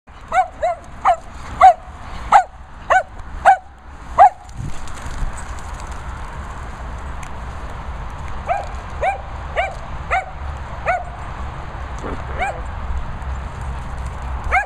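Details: Dogs at a training and boarding kennels in the Worcestershire countryside barking: about eight sharp, evenly spaced barks in four seconds, then steady background hiss with a further run of fainter barks.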